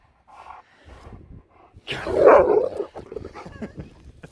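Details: A dog wandering outdoors as the weather turns stormy gives one loud, harsh bark midway, framed by quieter rustling and soft scattered noises before and after.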